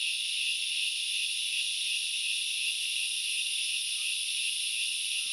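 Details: Steady, piercing buzz of many grasshoppers in the forest of Knuckles Reserve, Central Highlands, Sri Lanka, an even wall of high hissing sound with barely any change in loudness.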